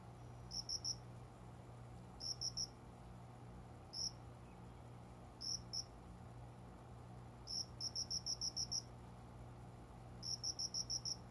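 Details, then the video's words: Cricket calling from a small windowside plant area indoors shortly after 5 a.m. in summer. High, bright chirps come singly or in quick runs of up to six pulses, separated by irregular pauses, over a constant low electrical hum. "虫の鳴き声 この虫の声は鈴虫のかな？コオロギ？"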